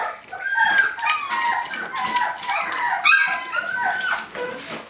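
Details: Eighteen-day-old puppies clambering to get out of a kiddie pool to explore, producing a continuous tangle of thin, wavering whimpers and squealing yelps from many pups at once, with occasional sharper yips.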